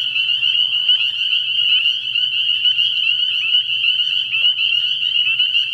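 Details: Many spring peepers calling together at a frog pond at night early in the year, their piercing high peeps blending into an unbroken trill, with a short lower burst near the start and a soft low hum.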